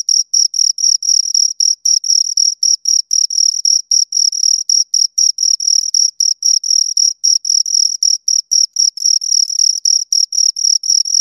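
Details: Continuous shrill chirping by two crickets across eleven seconds, dense train of short pulses at about four per second with occasional longer trills, a thin higher overtone above, no other sound.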